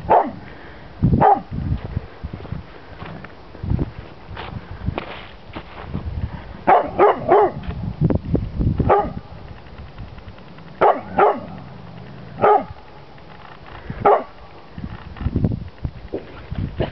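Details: In snowy surroundings a two-year-old chocolate lab barks at an unfamiliar red pizza box; irregular series of loud barks, some in quick pairs or triplets, interspersed with softer sounds and footstep-like noises.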